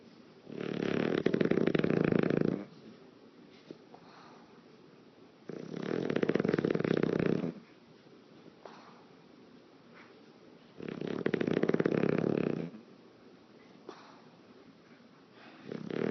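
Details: A male English Bulldog snores loudly while sleeping, lips flapping as he breathes, each rough, rumbling breath roughly five seconds apart with quiet gaps between.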